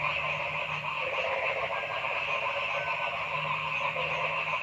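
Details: Noisy frog calling in a forest: a dense, unbroken chorus of buzzy, rapidly pulsing croaks layered in several pitch bands, holding steady throughout with no pauses or other clear sounds.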